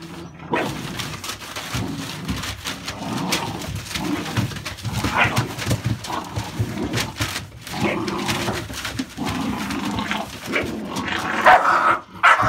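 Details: American Staffordshire Bully dogs indoors in a small room, giving scattered barks and yelps amid shuffling, movement and background household noise.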